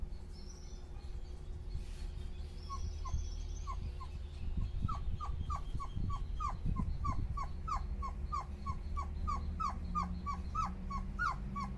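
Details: Dobermann puppies relaxing and cooling off in a breeze on a very hot day, their mother nearby; short high downward-sliding yips or whimpers repeated about three times a second, over a steady low hum and some rumbling.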